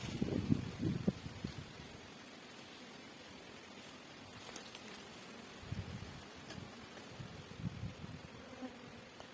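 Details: Indian honey bees roosting temporarily on a tree branch in a garden, being moved into a hive, give a low, droning buzz in short bursts, loudest at the start, with quiet gaps between.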